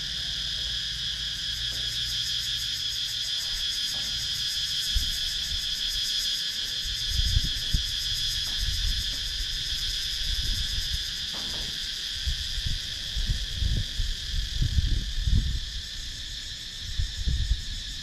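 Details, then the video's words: Cicadas in wooded countryside of Sakon Nakhon, Thailand, recorded on a GoPro Hero 9: a steady, dense shrill buzz layered in several bands, unbroken throughout, with scattered low thumps and rustling handling noise. "Cicadas Sound"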